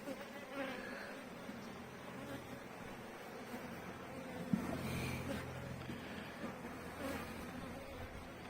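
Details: Many honey bees humming over open frames as comb is drawn and brood is inspected in a seven-week-old colony; a steady broad drone with soft handling clicks and one sharp tap midway.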